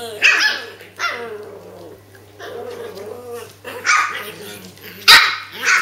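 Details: A litter of Japanese Spitz puppies, 8 weeks and 4 days old, three females and one male, at play: bright yapping barks at the start and near 4 and 5 seconds, with low grumbling growls in between.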